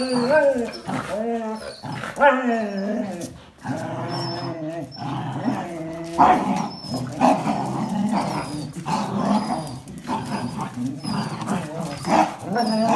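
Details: Tug-of-war over a towel among a Jack Russell Terrier, a black and white Border Collie and a red and white Border Collie, one named Biju. Opening whiny barks give way to sustained rumbling growls, with voices now and then.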